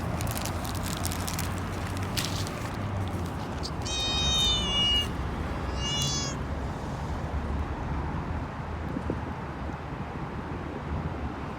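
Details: Street cats, a kitten and her mother, outdoors: two bursts of high, harmonic meows around the middle, the second shorter, over steady low traffic-like rumble and scattered clatter early on.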